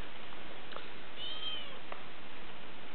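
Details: Young pet kitten playing inside a paper bag in April 2007 lets out a short, high-pitched mewing cry midway through. Faint rustles and a steady low hum surround it, with a person's voice speaking before and after.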